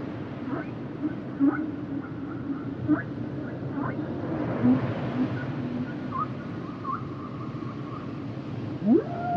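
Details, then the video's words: Humpback whale song underwater: scattered upswept moans and faint tonal whistles over a steady hiss, with a sharp rising sweep near the end. "Sounds and Songs Of The Humpback Whales"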